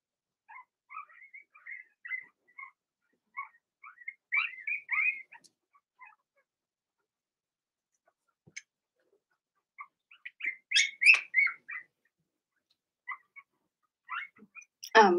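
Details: Young Blenheim Cavalier King Charles Spaniels, from a litter of six in an indoor puppy pen during potty training, keep up a stream of short high squeaks and whimpers in two busy bursts, ending with a louder yelp.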